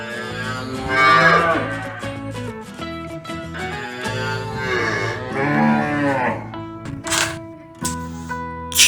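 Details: Cow, presented as a farm animal, lowing in drawn-out moos that rise and fall in pitch, the longest near the middle, beneath steady background music.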